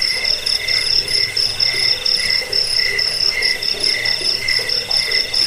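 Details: Shrill cricket chirps, meant to repel rats and lull listeners to sleep, arrive in quick pulsing bursts about twice a second, bright and high, over a faint lower murmur.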